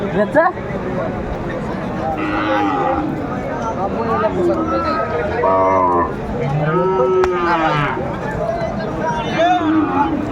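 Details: Sahiwal cattle, bull calves offered to farmers at a Dhaka cattle market, Bangladesh, on 29 December 2024; a couple of drawn-out, low, harmonic moos rise out of steady market chatter, voices and background music.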